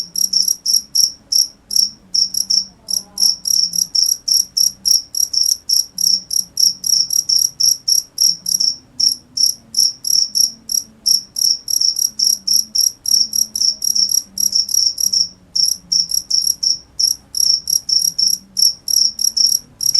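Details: Continuous cricket chirping: sharp, shrill pulses repeated briskly and almost without pause, one chirp after another for the whole stretch, with soft low murmuring in the background.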